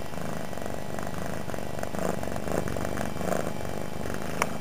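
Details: Suki, a domestic cat lying on the floor near a computer not long after arriving at her home, purring loudly: a steady low rumbling purr with a rapid pulsing texture throughout, a few faint clicks near the end.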